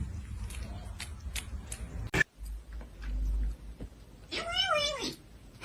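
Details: Domestic cat giving a single short arched meow near the end, after a stretch of people talking and praying aloud in a small indoor room, with clicks and thumps in the background.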